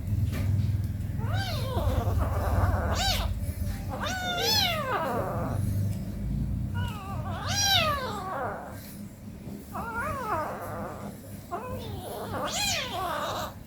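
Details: Meowing from domestic cats at home, an 18-day-old kitten playing with its mother: about eight short, arched meows repeated every one to two seconds, some rising then falling, over continuous low background hum.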